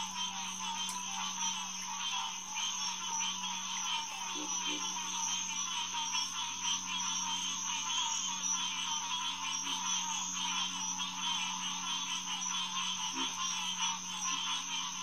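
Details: Green tree frog (Hyla cinerea) chorus at Headquarters Pond, SMNWR, on June 2, 2021, around 9:10 pm: dense, overlapping calls repeated rapidly from many frogs, over a steady high-pitched whine and a low constant hum.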